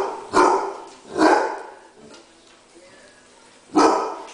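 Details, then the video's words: Basset hound, a female pet, barking in rage because others are into her dinner: three loud, harsh barks, two close together near the start and one more about two and a half seconds later, with quiet gaps between. "sugar would like to express her rage"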